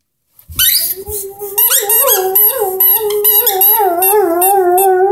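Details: Henry, a 10-month-old Airedale Terrier, sings with his orange squeaky ball indoors: wavering, tonal howling notes with rich overtones, rising and dipping in pitch, broken by rapid squeaks and short bends throughout.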